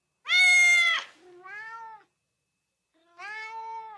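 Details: Domestic cat meowing, played to excite dogs: a loud, bright, high meow followed by two softer, lower, drawn-out meows with a pause between, in a quiet room.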